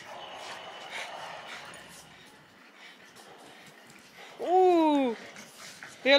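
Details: Playful pet bulldog Kirby lets out two rising-then-falling whining yelps near the end, after a stretch of quiet Spanish speech and room noise.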